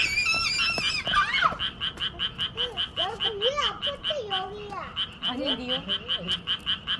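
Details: Frogs croaking in a welcoming chorus, short pulsed notes repeating evenly about two and a half per second, while people's high exclamations and wavering voices rise and fall over the start and middle.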